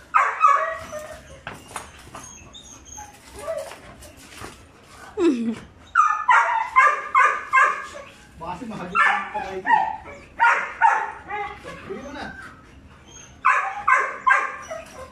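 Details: Two five-month-old Belgian Malinois puppies, one brown and one black, give bright harmonic barks and yelps in short bursts, often several in quick succession with pauses between, mixed with human voices in the background.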